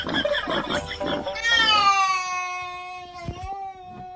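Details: A cat gives one long, drawn-out meow. It starts around the middle and holds for nearly three seconds at a steady, slightly wavering pitch with rich harmonics. It follows a busy opening of music and chatter.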